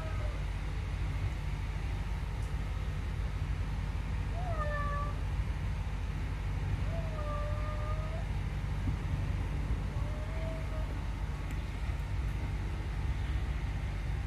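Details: Pet cat giving three short meows, each a brief tone with a slight rise or fall, spaced a few seconds apart. The meows sit fairly quietly over a steady, loud low rumble that lasts the whole time.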